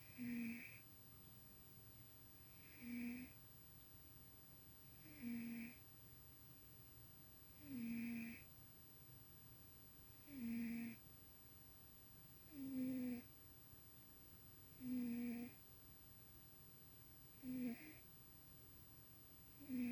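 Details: Tuxie the house cat snoring in his sleep while dreaming, indoors; a steady series of eight buzzy, nasal snores, one roughly every two and a half seconds, each short and droning, over a low constant room hum.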